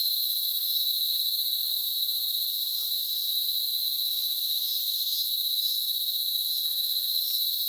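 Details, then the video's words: A cicada in countryside trees in the Dominican Republic, where they are everywhere, gives a steady, shrill, unbroken buzzing drone that holds high and constant throughout. "Uno de los sonidos de la chicharra"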